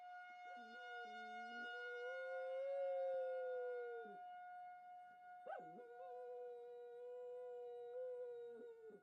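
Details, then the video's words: Domestic dog howling along with a tornado siren during its monthly test, two long sustained howls with wavering starts and ends, each lasting several seconds, over the steady droning tone of the siren. "Dog Howls at Tornado Siren"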